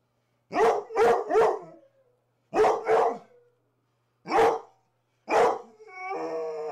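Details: Two Rhodesian Ridgebacks, Zahara and Weya, playing rough in the morning: loud barks in quick bursts of three, then two, then single barks, ending in a drawn-out whine.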